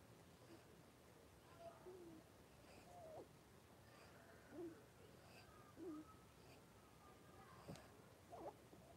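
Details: Blenheim Cavalier King Charles Spaniel puppies, five born around New Year's to Paris and Spike, in a home puppy pen with their mother Paris. Soft, short, squeaky whimpers rise and fall a few times over a quiet, hissing background.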